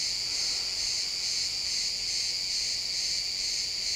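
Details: Pine forest crickets at sunset keep up a constant high, ringing chorus, rapid pulsed chirps merging into a seamless shimmering wall of insect sound.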